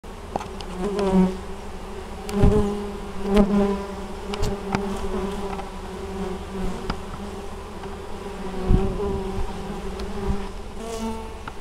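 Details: Honey bees at an apiary in Moszczanka, Opole Voivodeship, Poland, on 19 August 2013, working intensively carrying honeydew; a steady low droning hum with clear harmonic bands, louder swells as individual bees fly close past, plus faint clicks.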